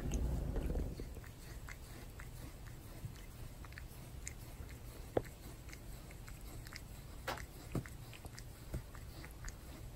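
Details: A pet cat named Torapachi indoors grooming a family member with its tongue: rapid, irregular rasping and wet lapping clicks, several per second, over a steady low room hum, with a louder rustle at the start.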